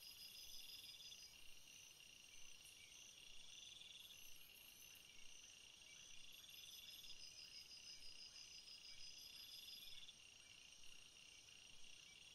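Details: Nocturnal cricket chorus: overlapping high, ringing trills from many insects, with rapid pulsed phrases from separate callers recurring every couple of seconds above a soft constant hiss.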